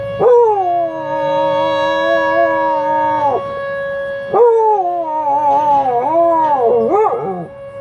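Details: Sustained howling from Buddy, a dog joining in with tornado sirens during the monthly noon test on the first Wednesday; two long held howls, the second wavering and breaking into yips, over a constant siren drone.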